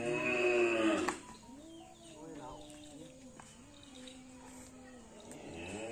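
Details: Trained Madura racing bull (karapan sapi) in East Java, Indonesia, belonging to team Door to Door. Opens with a loud, rich harmonic moo of about one second, followed by faint, low drawn-out lowing. Background chatter is audible.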